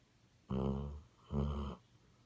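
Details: Two rasping, rattling snores in quick succession from a Basset Hound, each about half a second long, close and loud indoors.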